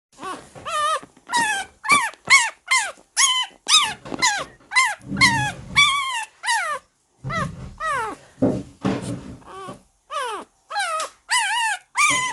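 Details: Young Shiba Inu puppies at home make a long run of high, tonal whining yelps, each rising then falling, repeated almost twice a second, mixed with a few low rough growly bursts.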